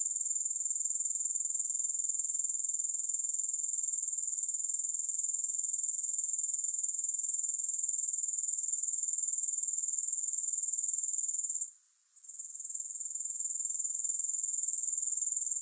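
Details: An unbroken high, hissing trill of grasshoppers, offered as soothing sleep sound with no music, evenly pulsed about four times per second, with a single short lull near the end before the insect drone resumes.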